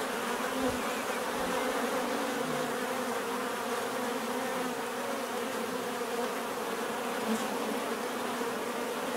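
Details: Many bees buzzing together in a steady, dense drone with a strong low hum and layered overtones, unbroken throughout, offered as relaxing natural bee sound.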